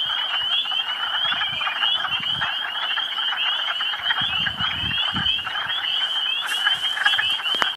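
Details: Spring chorus of hundreds of frogs newly out of hibernation at a partly thawed woodland pool, Quabbin Reservoir nature preserve, Western Massachusetts, a continuous loud wall of overlapping high trills and clucking croaks.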